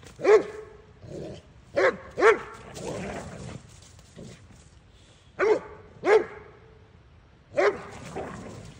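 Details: Doberman Kai and boxer/bulldog Maddie at play, burning off energy: sharp single barks in pairs, around seven in all, between softer grumbling growls.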